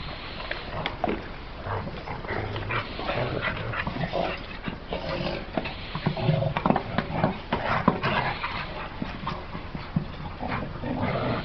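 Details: Pit bull dog making dense, continuous whimpering and grunting sounds mixed with rapid clicks and rustling throughout.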